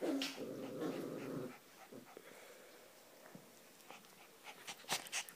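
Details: Ee-red Border Collie (rouge australien) at play with one-month-old puppies: a low, buzzy growl fills the first second and a half, then soft scuffles, panting and a few sharp sounds follow.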